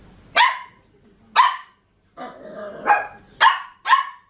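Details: Max, a Papillon puppy 14.5 weeks old, barks at Tiger, the household Maine Coon cat, wanting to play: sharp high yaps about once a second, with a longer whiny vocalisation in the middle.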